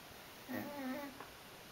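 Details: Worn-out female dog Burley asleep, giving one low humming snore lasting about half a second with a buzzy, tonal edge, in a hushed indoor room.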